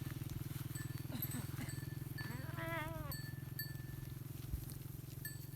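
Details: Goat herd kept together with sheep at a village: one wavering, quavering bleat stands out above a steady low droning hum, with faint shorter calls and soft clicks around it.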